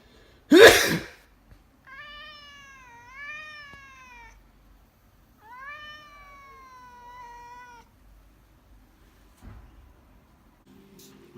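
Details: Burmese cat reacting to its owner sneezing indoors: a sharp human sneeze opens, then two drawn-out, wavering, complaining meows, each about two seconds long with rich harmonics, followed by faint rustling.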